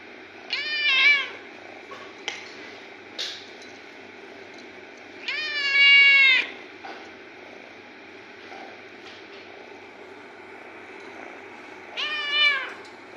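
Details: A cat gives three clear meows with rich overtones: a short one near the start, a longer drawn-out meow that bends down at the end around six seconds, and a final brief meow near the close, over soft steady hiss.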